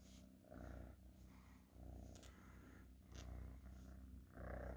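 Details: Steady rumbling purr from a cat, rising and falling in roughly one-second breath cycles, with a small click or tap in the middle.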